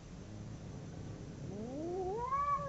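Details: Domestic cat howling during a fight between two cats: after a quiet, noisy start, a single wail slides steadily upward and swells louder toward the end.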